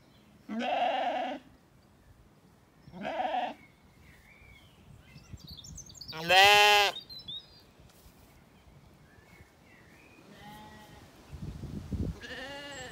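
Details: Zwartbles lambs after weaning, grazing calmly in an Irish orchard in County Kilkenny during the evening; several bleats of varying pitch, two shorter low ones, a loud high quavering cry near six seconds, then fainter calls, with birds twittering.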